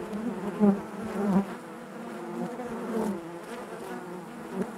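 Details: Hive of honey bees humming from within, a low continuous buzz with stacked harmonics, two louder swells early on then a calmer even drone with faint brief surges.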